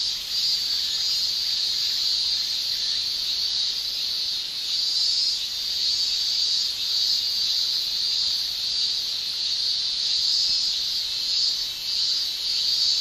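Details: Summer cicadas in Japan, males buzzing with tymbal organs, fill the air with a dense, unbroken shrill hiss that swells and fades gently every second or two, with no other voices.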